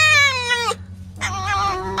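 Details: Tame fox kept at home, just woken in the morning and playing chase games: a loud harmonic wailing cry sliding gently downward, a short pause, then a second shriller, wavering cry, with faint background music.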